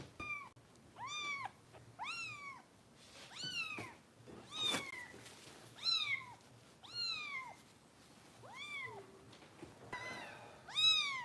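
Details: Foster kitten at a kitten rescue in Los Angeles, being bottle-fed and lately difficult to feed, giving loud arched meows with rich harmonics, rising then falling, about once a second in bursts of nine, indoors in a small quiet room.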